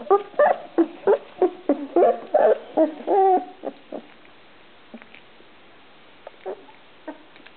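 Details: Puppies give a quick series of short, tonal whimpers and squeaks, about three per second, for the first four seconds, some drawn slightly longer, then only a few faint, scattered squeaks.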